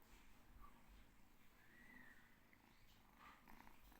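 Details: Small domestic cat handled indoors, making a soft, continuous low rumbling purr with a rough pulsing texture, plus faint thin tonal streaks higher up.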